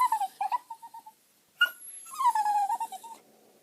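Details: A whippet, a very quiet, rarely barking breed also called a talking dog, makes soft, wavering whines and yodel-like moans, its voice sliding up and down in short phrases.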